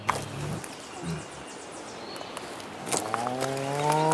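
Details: A male tiger at a big cat rescue sanctuary calls in low, groaning bursts rich in harmonics, the last one long and drawn out. These morning calls seek attention from his keepers, and a woman's voice talks over part of the sound.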